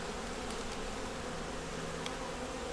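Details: Honey bees of a nuc colony working to make it through winter, opened for a hive inspection; a steady, even hum with a faint mid-pitched drone band runs throughout, with soft hiss above.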